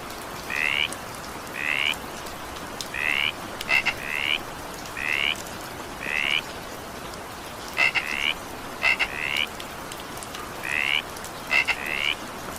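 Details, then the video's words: Evening rain with frogs: repeated short, slightly rising nasal croaks, several doubled with a clipped lead-in note, coming roughly once a second above continuous rainfall. "evening rain sound effect with frog sound"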